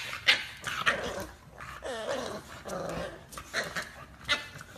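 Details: An English Bulldog producing wavering whiny growls and grumbles, with sharp yips near the start and end and wobbly pitched moans in the middle of the recording.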